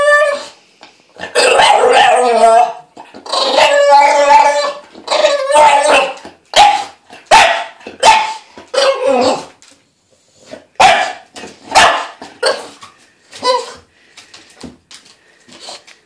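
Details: Dog complaining at weekly bath time, giving a run of warbling howls followed by many short grumbling barks and yips, irregular and close together.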